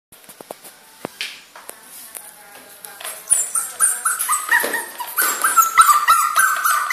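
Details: A 2-month-old puppy named Miu cries indoors; after a quiet start with scattered clicks, high whining whimpers build up, short rising and falling whines repeated rapidly and growing louder toward the end.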